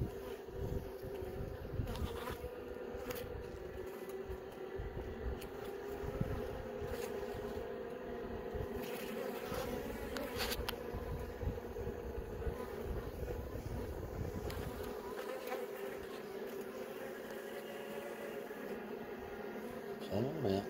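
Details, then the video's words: Honey bees humming steadily inside an opened hive during an inspection, as several young bees emerge from their brood cells; a continuous mid-pitched drone with layered overtones, with occasional soft clicks and handling knocks. "Honey bee - Young bee emerges."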